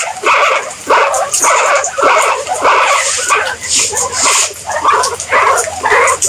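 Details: Guinea pigs calling in a steady stream of high, squealing notes with bright overtones, about one or two a second, overlapping and unevenly spaced, with no other clear sounds.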